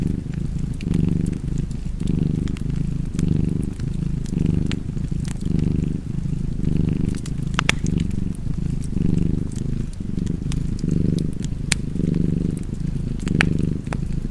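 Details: Relaxed cat purring in a deep continuous rumble, each inhale and exhale audible as a gentle swell, with fireplace crackles and pops sounding intermittently.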